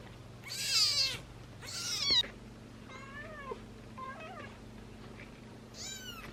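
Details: A ginger male kitten about 17–18 days old gives thin, high-pitched meows, several in a row, calling for its mother.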